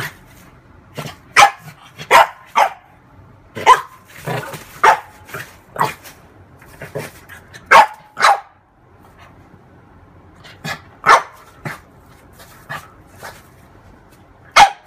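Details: A female French bulldog playing with her mirror image barks in sharp, separate bursts, some in quick pairs, with short pauses between.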